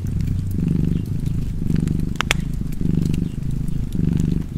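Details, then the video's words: Cat purring in a low, throbbing rumble over about four breath pulses, one louder crackle of a fireplace popping midway. "Purring Cat and Fireplace 4K / Wallpaper Tv Art Çerçeve / Cozy Purring Cat ASMR / Kedi Mırlaması"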